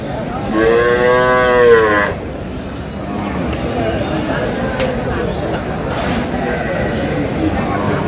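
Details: Cows with calves for sale at the Aftabganj cattle market in Dinajpur, Bangladesh: one loud, drawn-out moo lasting about a second and a half with rich harmonics, followed by market murmur and a man's voice.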